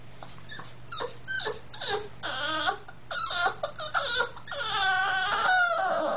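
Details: A female Boston Terrier gives a run of high, wavering, Snoopy-like whines and yodel-like moans, eager to go for a car ride.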